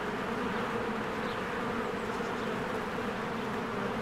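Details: Many honeybees flying around their hive in spring produce a thick, even buzzing hum that never pauses, a constant insect drone filling the whole stretch.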